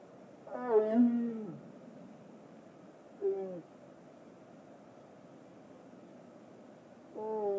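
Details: Captive tiger at a big cat rescue sanctuary, described as talking: one longer moaning call with bending harmonics, then a short clipped call and a third call starting at the end, quiet between them.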